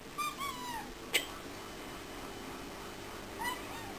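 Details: Pet cat indoors that likes to talk, giving two short falling meows at the start and a third near the end, answering a woman who speaks to it in Russian, with a sharp click between.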